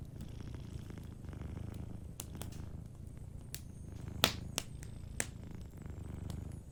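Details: Gentle low purring from a sleeping cat, a steady rumbling hum beneath frequent snapping and popping sounds from a cozy fireplace.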